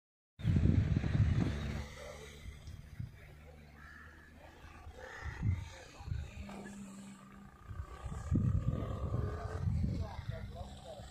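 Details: Wild boars strolling through the 2020 snowfall in Murree give deep, rough grunts in irregular bursts, with voices in the background.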